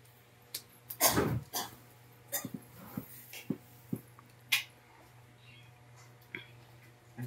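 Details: A female Rottweiler gives one deep, rough bark amid scattered thumps and scuffling noises indoors while fighting with her brother.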